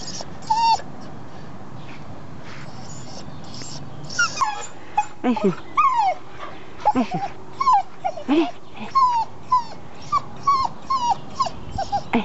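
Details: Red male English cocker spaniel whimpering because he wants his blanket: a run of short, high, wavering whines that rise and fall, coming every second or so, with a woman speaking French softly between them.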